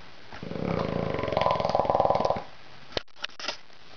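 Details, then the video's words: Bulldog Mondo snoring loudly while asleep indoors: one long rattling, buzzy snore lasting about two seconds, followed by quiet breathing and a few faint clicks. "Snoring Bulldog"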